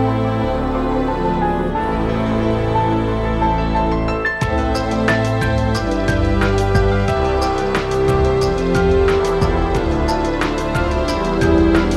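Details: Continuous soft new-age music with sustained chords and bright repeated chime notes throughout, with no animal sound.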